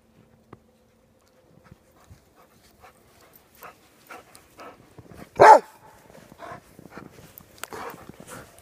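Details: Giant Schnauzer puppies Luna and Gia playing in the snow with Dory; after soft rustling, one loud, sharp bark rings out midway, followed by quieter scuffling and several brief, softer vocal bursts.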